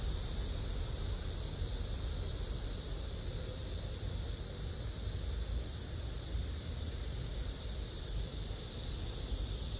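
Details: Blackish cicada (Cryptotympana atrata), song.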